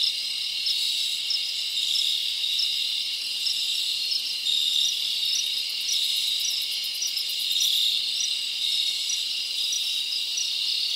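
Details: Summer-night forest crickets: a constant high shrill chorus with rhythmic chirps pulsing through it and a brief faster rattling trill near the middle, steady volume and nothing else audible.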